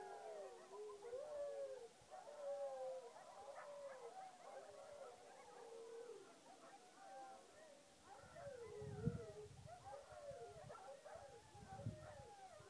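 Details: Coyotes and dogs howl at the moon in a wavering group chorus of rising and falling, looping tones, fading and swelling, with two low thumps late on.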